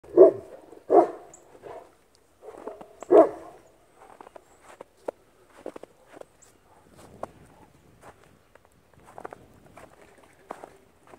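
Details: Central Asian Shepherd Dog (Alabai) giving a few deep barks in the first three seconds, then quieter scattered clicks and rustling with footsteps.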